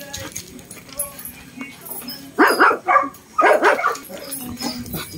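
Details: Dogs, a Shih Tzu facing a Belgian dog, described as small but brave; two short clusters of sharp, doubled barks break a quiet background midway through.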